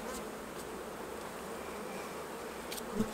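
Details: A continuous low drone of many honey bees at the hives during honey harvest, while a soft brush moves them off the frames; a faint knock near the end.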